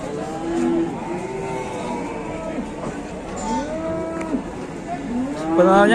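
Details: Super jumbo fat cattle brought down from Mount Telomoyo, Indonesia, offered to buyers: drawn-out lowing moos with bending harmonic arcs, several in a row, over a murmur of voices and background bustle.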